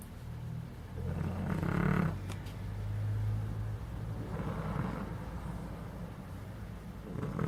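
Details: Snoring from Fonso, a sleeping puppy: several slow, low, rattling breaths a few seconds apart, the loudest near the start, over quiet room hum.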